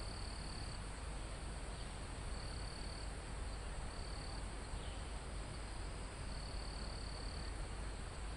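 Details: Crickets and insects in a mountain forest, recorded live near the summit; a sparse series of high, even trills, some a second long, barely rising above constant wind rushing through trees and foliage.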